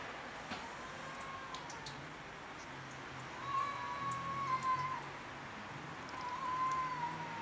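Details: Cats fighting over territory on house rooftops give drawn-out, quavering yowls, one lasting about a second and a half, then a shorter one, against a low steady outdoor hum.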